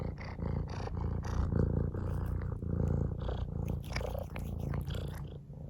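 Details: Domestic cat purring: a continuous low, rumbling vibration that swells and eases in steady waves, with faint rustling and clicking sounds over the top.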